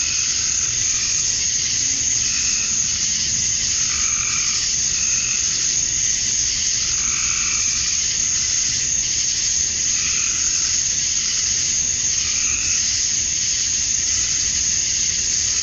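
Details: Cicada chorus at summer dusk in Georgia, USA: a continuous piercing buzz fills the whole recording, with intermittent lower, hollow-sounding calls rising out of it roughly every two to three seconds.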